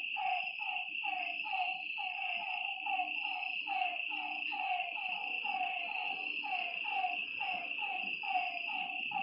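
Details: Croaking frogs beside a lake at night, a steady series of short falling notes from overlapping callers, set against a continuous high insect whine.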